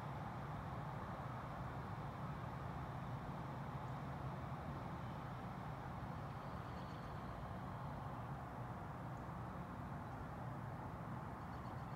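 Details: A steady low rumble of distant traffic fills the whole stretch, with no distinct animal calls standing out.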